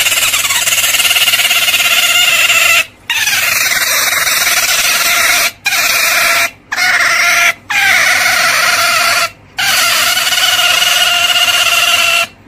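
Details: Otter squealing continuously in a high, piercing, slightly raspy tone, interrupted by brief gaps of silence.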